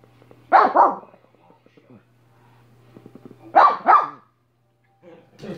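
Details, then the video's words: Dog named Minnie giving two quick double barks about three seconds apart, each pair loud and abrupt, over a constant low electrical hum. "Minnie barking for 5 minutes"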